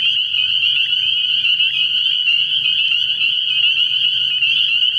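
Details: A night chorus of spring peepers at a frog pond early in the year: countless overlapping piercing peeps merge into a continuous, even, high-pitched ringing with a faint low hum beneath.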